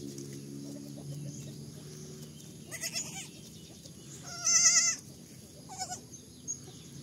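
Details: Baby goats bleating: a few short wavering bleats near the three-second mark, then a louder, longer quavering bleat around four and a half seconds and a brief one near six seconds, over steady low background hum.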